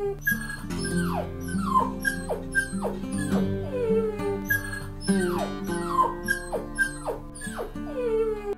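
A puppy whimpers in high, falling whines, roughly one every second, each sliding down sharply in pitch, over steady background music.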